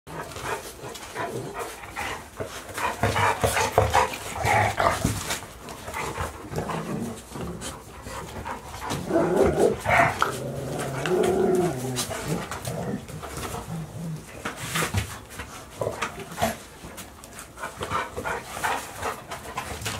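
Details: Golden Retriever puppies, 62 days old, from a litter of five males and one female born to Chiro on 26 April 2018. Busy mix of soft whines, snuffling and panting, with brief tonal whimpers around the middle, amid shuffling and handling noise.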